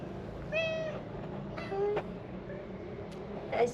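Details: Stray cat giving short meows, one near the start and a briefer one after, amid people talking softly in Arabic and low background hum.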